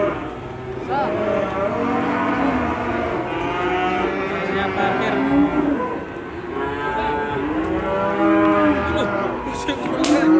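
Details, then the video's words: Cattle raging because a rope is pulled tight around its neck, later charging an elderly man; long, deep, harmonic-rich moos drawn out and rising, overlapping one another almost continuously, with background music. "Sapi Ngamuk gara gara gulu ne ke tekak sampe nyruduk kakek 2"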